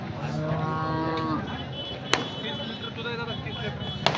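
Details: Cattle at the Sangola cattle market in India, where cows are being sold: a drawn-out, low moo with stacked harmonics lasting about a second and a half, over busy market background noise with a couple of sharp clicks.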